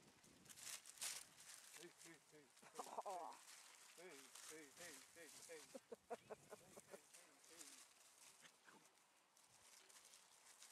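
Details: Malinois puppies just under 11 weeks old give a rapid run of short, pitched yelping whimpers, each sliding down, repeated for about six seconds amid rustling and handling noise.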